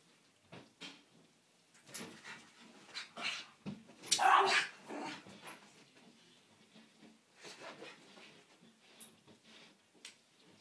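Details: A miniature schnauzer barks at a window cleaner, sharp, high barks in irregular clusters building to a loud, frantic burst midway, with quieter yips and a few whining notes in the gaps before trailing off.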